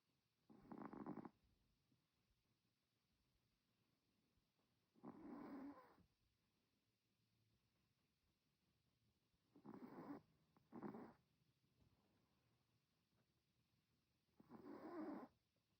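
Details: Chihuahua asleep, snoring in a slow irregular rhythm: short raspy nasal snores roughly every four to five seconds, one pair close together, with near silence between them.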